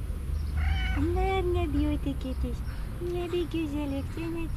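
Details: Young grey male cat, affectionate, meowing for love and attention: a run of rising-falling meows, some drawn out and some short, close together, with a woman speaking softly nearby and low background hum.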